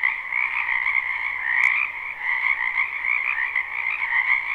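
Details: Spring wetland frogs in a live recording, a thick unbroken chorus of rapid croaking trills layered in two pitch bands, with a brief sharp click near the middle and a faint low hum.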